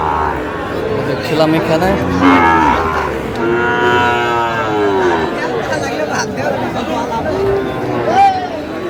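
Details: Sahiwal bull calves at a cattle market with a Kushtia farmer, 8 May 2025: long, drawn-out harmonic lowing rising and falling through the middle of the clip, with shorter moos around it over crowd chatter and background market noise.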